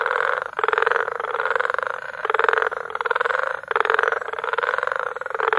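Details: Frog chorus at Bagamoyo, Tanzania, in May: dense, loud pulsed croaking in overlapping bursts about a second long, rattling steadily with brief gaps, the trilling mass filling the mid range without other clear sounds.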